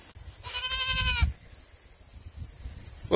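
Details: Nigerian Dwarf goats bleating while someone urges them to sing: one wavering, nasal bleat lasting under a second, rich in harmonics, followed by quiet background rustle.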